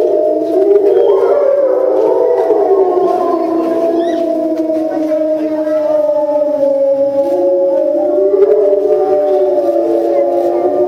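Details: Several timber wolves at a zoo in Tokyo, Japan, howling together after a meal, filmed September 2015: long overlapping smooth tones held steady and gently sliding, forming a continuous layered chorus.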